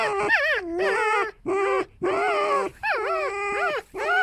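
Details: Female pet fox rescued from a fur farm, squeaking loudly as the foxes compete to be loudest and take control; four or five harmonic whining squeals, each with a dipping, warbling pitch, separated by short gaps.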